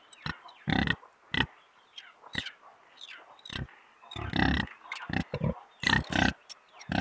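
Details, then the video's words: Pigs grunting and oinking in short, punchy bursts, some deep and loud, with a few squeaky upward-sliding squeals scattered between the grunts. "Som de porco | Barulho de porco roncando"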